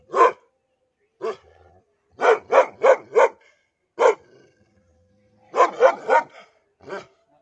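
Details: Aggressive dog barking at its owner, a series of sharp, loud barks in irregular bursts, some single and some in quick runs of three or four, with short silent gaps between.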